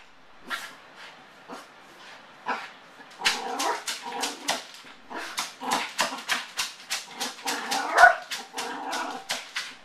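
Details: A male Yorkshire terrier with separation anxiety, left alone at home, gives rapid, high yips and whining barks; he does this every time his owners leave, and it went on for at least an hour.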